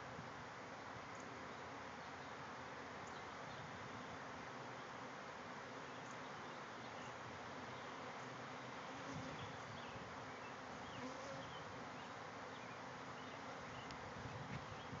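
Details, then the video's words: Swarm of bees emerging from a backyard hive, thousands in the air; thick, even humming buzz sustained from start to finish, slightly rustling. "Bees swarming out of a hive"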